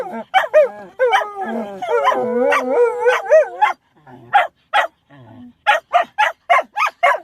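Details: Dog trying to howl but sneezing instead: a few wavering, bending tonal howl notes give way to a rapid string of short, sharp snorting bursts repeated several times a second.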